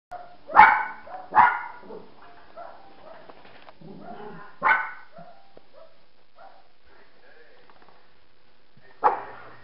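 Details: Brutus the dog gives short, sharp barks, two close together, then single barks a few seconds apart, with soft murmuring and small noises in between.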